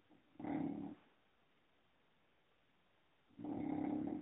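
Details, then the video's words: Female English Bulldog asleep and snoring, two low buzzing rattling snores about three seconds apart, the second longer, with near silence between. "English Bulldog - Snoring!"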